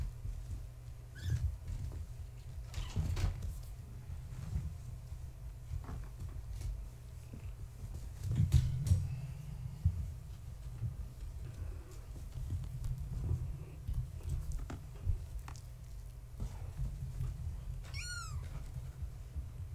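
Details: Gaia, a floofy tabby mother cat, with her kittens born March 14, 2017, visited at bedtime in their pen; a faint early squeak, then one clear rising-falling meow near the end over steady low room hum.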